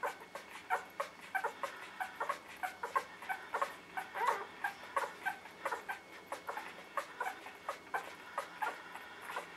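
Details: A litter of newborn puppies from Maddie, a dog, cries indoors with a constant patter of short high squeaks and whimpers, dozens of brief calls tumbling over one another without steady rhythm.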